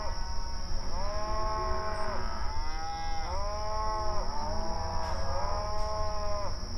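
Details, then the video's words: Cattle out on open pasture, grazing and lowing to one another: four or five long, arched moos come back to back, each sagging then lifting in pitch, with a constant thin high tone and low rumble behind. "Outdoor Pasture Cattle Grazing Sounds"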